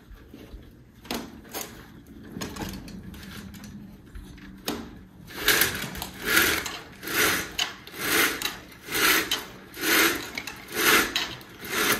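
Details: Rhythmic rubbing or scraping noises repeat about once a second after quieter knocks, with no barking or other animal voice.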